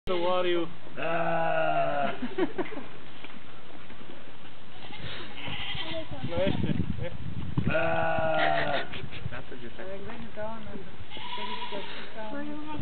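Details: A goat in a zoo gives loud, wavering bleats while people talk nearby.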